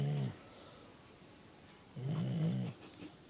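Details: A sleeping dog snores indoors: two low, rumbling snores, a short one at the very start and a longer, wavering one about two seconds later, with quiet room noise in between.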